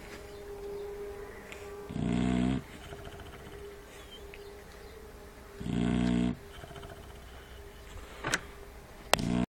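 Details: Shar Pei puppies snoring: two loud, low rasping snores about four seconds apart, each lasting roughly half a second, over a steady background hum, with a couple of sharp clicks near the end.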